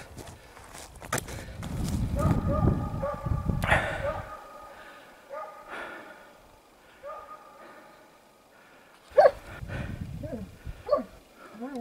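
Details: Russian hound barking while chasing a hare during a hunt on open pine heath, heard from about 700 metres away: drawn-out tonal barks repeated roughly once a second, after heavy footsteps and rustling, with close handling noises near the end.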